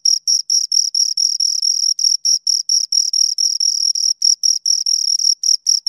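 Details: Two crickets chirping close together, their high pulsed notes overlapping so the rhythm becomes uneven, some chirps running into longer bursts, all in a quiet background.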